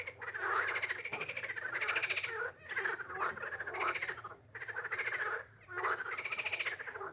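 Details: A frog croaks in a steady series of raspy, pulsed bursts, each roughly a second long with short pauses between, over a faint low hum.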